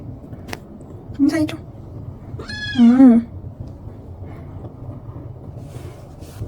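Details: Munchkin cat Rang, asked to say hi, answers with a short chirp followed by a longer bending meow, then quiet room hum.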